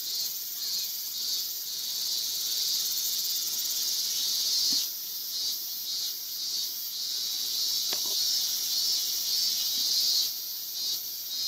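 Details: A male Yabukiri katydid perched on a guardrail in Iwanuma, Miyagi, Japan, on 20 August 2021, sings a steady, high, sizzling trill almost without pause.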